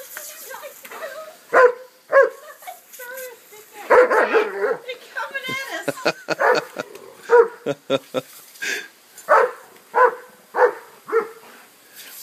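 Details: Remy, a dog chasing a lawn sprinkler for the first time, running from one sprinkler to the other and getting soaked; loud, sharp barks come in bursts about once a second, with people talking over them.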